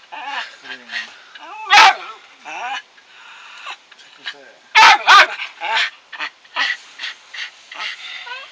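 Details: A dog, which its owner says rarely barks and usually whines as if talking, gives sharp, explosive barks singly and then as a quick pair, with human voices and softer whiny tones between.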